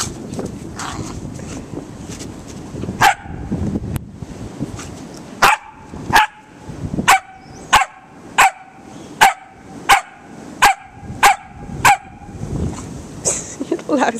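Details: Kilo, a pup out in the snow, confronting a frozen squirrel-like figure. Rustling and scuffling come first, then sharp loud barks repeated about every two-thirds of a second, roughly a dozen in a row, with voices nearby.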